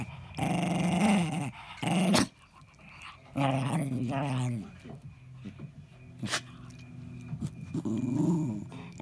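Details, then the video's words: Eddie, a 10-year-old pet Jack Russell Terrier, growls indoors while guarding his ball; low rumbling growls come in bursts, with short pauses and a sharp click between them, and quieter snarls near the end. "Jack Russell protects his ball"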